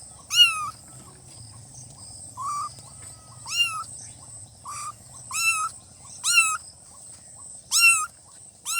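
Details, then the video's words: Cute newborn kittens meowing repeatedly, thin high-pitched mews that rise then dip, about eight calls in under nine seconds, some overlapping as if several kittens cry together; constant faint hiss and low rumble beneath. "Kitten meowing|kitten meowing sound effect|"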